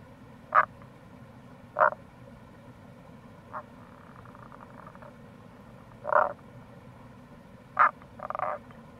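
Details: Wild Rana tagoi croaking in April beside a gorge along the Kamo River in Itoshima, Fukuoka. About six brief, gruff croaks are spaced one to two seconds apart, some doubled or rattling, over a constant low background rush.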